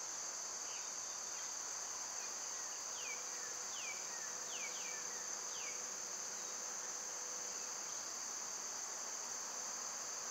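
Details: Cicadas in summer, when they are loud, keep up a steady, high, hissing drone without a break. A bird's quick downward-slurred chirps repeat several times through the middle of the recording.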